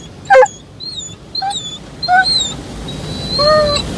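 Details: Roman the Dobermann inside an automatic car wash for the first time, reacting to the washing: one sharp bark, followed by several thin rising whines and yelps, over steady low machine rumble.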